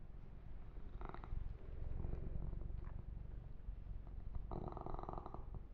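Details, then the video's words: A massaged kitten, Yumak, keeps up a deep, even purr, with two brighter bursts of stronger purring, one early and one near the end. "Kitten Massage - Perfect Sleep Helper Ear to Ear Purring"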